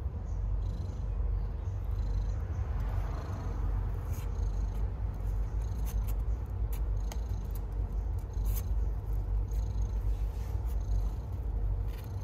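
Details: Stray cat purring while giving birth to kittens: a deep, continuous throbbing rumble held throughout, with scattered soft clicks and rustles above it.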